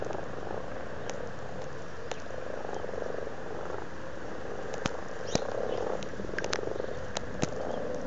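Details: Amorous frogs in a pond at Blarney, Cork, Ireland, February 2012, giving an unbroken low purring croak chorus, punctuated by several sharp clicks or taps in the second half.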